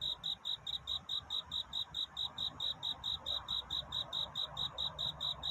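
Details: Courting cricket at night, singing to find a mate; high, clear chirps repeated rhythmically about 140 times a minute, each short and evenly spaced, with low steady ambient rumble.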